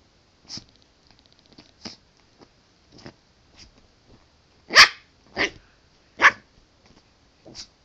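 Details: Pet dog named Callie playing with a pillow indoors; a run of short snuffling sniffs and puffs, then three louder, harsher huffs about a second apart near the end, in a quiet room.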